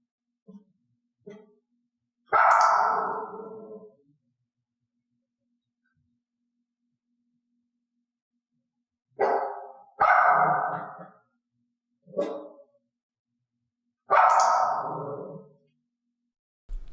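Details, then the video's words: A mixed-breed dog in clicker training, rewarded only for barks given after the cue. A few soft yips, then isolated loud barks separated by long silences, with a quick pair of barks near the middle. "i gave the cue and then clicked the resulting bark the dog must learn that reinforcement only comes from this behavior"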